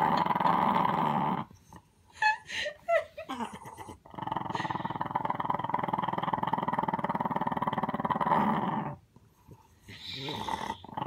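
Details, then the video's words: Little dog gives a long continuous rattling growl lasting about five seconds, preceded by short broken noises and followed by a quieter grumble, indoors. "Little dog with big growl"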